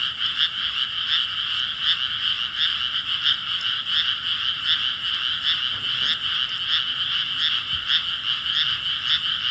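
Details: Frogs calling in chorus on 5 May 2017: busy, irregular overlapping croaks at a fast pulse fill the scene, punctuated by a couple of faint low knocks.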